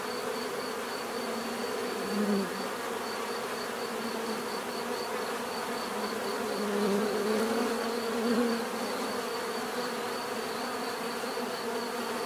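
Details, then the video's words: Bees humming in a constant low, layered drone; close passes by single insects create brief swelling, sliding buzzes around two seconds and again between seven and nine seconds, over a faint steady high tone. "bees therapy relaxing natural buzzing sound"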